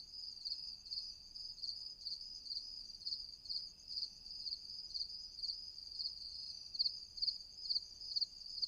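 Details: Night crickets calling in a continuous shrill pulsed chorus, high-pitched beats repeating roughly twice a second and growing slightly sharper toward the end, otherwise quiet background.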